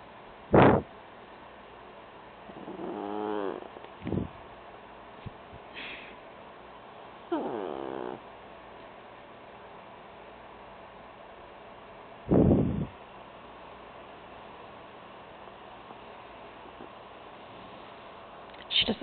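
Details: A sleeping female beagle grunts when touched, short harmonic grunting bursts with wavering pitch near 3, 7.5 and 12.5 seconds, separated by quiet breathing and faint room noise.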